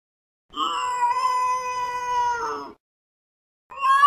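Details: Fluffy cat perched on a window sill, gazing intently outside with ears perked up, gives one long, steady, drawn-out meow lasting about two seconds, then starts another at the end; nothing else audible.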